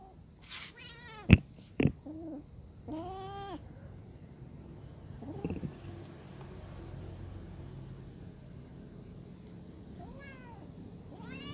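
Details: Brown kitten afraid near adult cats at their food, giving several short, uneven meows and mews spread through the clip, with two sharp clacks early on and low background rumble between calls.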